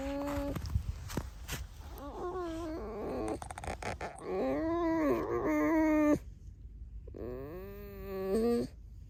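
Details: Kept red fox giving a long run of loud, whiny, harmonic squeaks, some flat, some arched or wavering, in close succession, then a brief silence and one final rising squeal, all in a small room.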